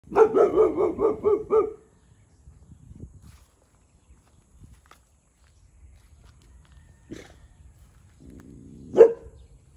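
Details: One-year-old male Boxer dog barking territorially at a neighbouring cow: a rapid run of about seven deep barks in under two seconds, then quiet with faint rustling and one more loud bark near the end.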